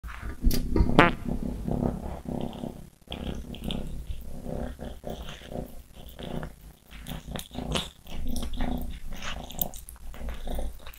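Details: Greedy cats growling while eating: low, rumbling harmonic growls run through the clip, rising and falling in strength, with clicks and small bumps of handling or chewing over them.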